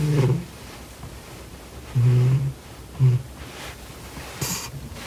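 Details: Sleeping cat producing low, rough snorts: one short burst, a longer one near the middle, then a brief snort, with uneven spacing and a faint sharp click near the end.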